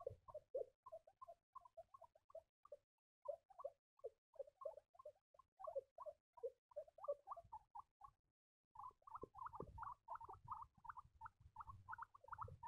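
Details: Squeaking baby guinea pigs: a steady stream of short high chirps, paired and stepping up and down, pausing briefly before a louder, faster run over soft bedding rustle.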